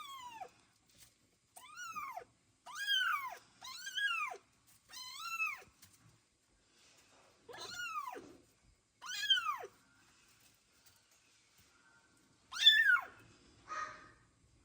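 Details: Michael, a foster kitten in Ukraine with worsening eyes, kept in a heated vet box after his first vet check-up, gives a run of high, arched meows in protest, each rising then falling, while trying to get out.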